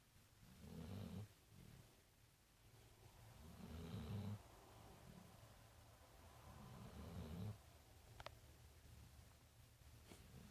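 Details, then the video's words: Marley, a big brown dog at The Funny Farm, tired and asleep, snoring: three deep, rumbling breaths about three seconds apart, low and rough, with a faint click near the end. "Big Brown Dog...Marley snoring"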